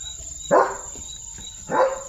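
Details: German Shepherd named Leo in his new glasses lets out two single gruff barks over a second apart, with a thin continuous high-pitched tone in the background.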